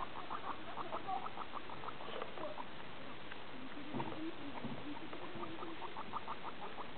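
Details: Several guinea pigs playing together in a small indoor playground; rapid trains of short high squeaks repeated in bursts, with quieter chirps, rustling and low background hum.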